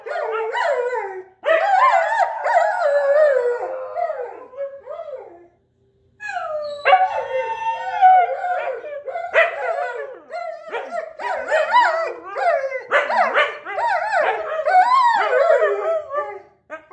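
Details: Husky and German Shepherd kept as pets compete in a loudness howl-off: choppy, broken howls mixed with short yipping bursts, a pause near the sixth second, then renewed wavering howls with abrupt pitch jumps.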